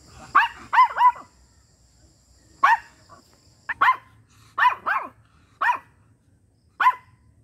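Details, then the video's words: Micro miniature pinscher, a small dog, barking indoors: sharp high yaps, three quick barks in a burst, then single and paired barks spaced about a second apart, with a faint hum behind. "Micro miniature Pinscher//cute small dog barking sounds"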